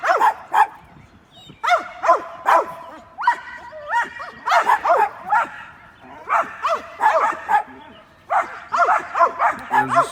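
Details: Several domestic dogs stirred up by a squirrel, barking hard: bursts of high yapping barks in quick runs with short gaps, voices overlapping, continuing across the whole stretch.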